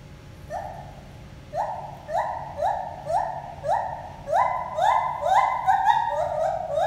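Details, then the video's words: Gibbons Lenny and Holly, a pair calling to each other at the Toronto Zoo: rising whooped notes that start spaced, then quicken and climb higher, overlapping in a building duet over a low steady hum. "Gibbon conversation"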